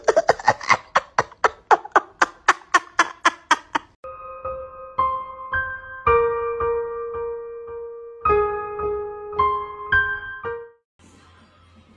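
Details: A run of sharp rhythmic percussive beats is followed by sustained electric piano chords, with no animal sounds.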